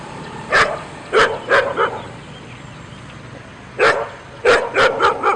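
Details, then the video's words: Dog giving loud, sharp barks, singly and in quick runs of three or four, with a short quiet gap between the two bursts. "Dog barking Loud and Howling"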